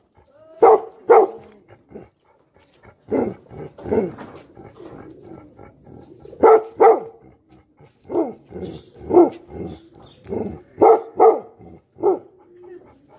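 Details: Deep, angry barks from Tibetan Mastiffs (Bhote Kukur), coming in rough bursts, often in quick pairs.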